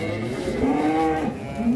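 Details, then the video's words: Cattle at the Grabag market, described as a raging monster bull; a drawn-out tonal lowing moo with a slight rise, over steady background noise and crowd din. "SAPI MONSTER NGAMUK DI PASAR GRABAG"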